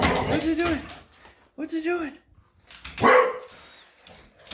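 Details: An English Bulldog, worked up by a vacuum cleaner on its bed, gives short, arching barks and grumbles indoors while a person talks to it.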